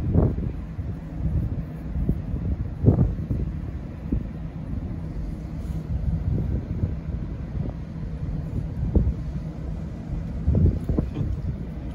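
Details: Heavy wind noise and vehicle drone dominate, broken by a few dull knocks, with no animal sound present.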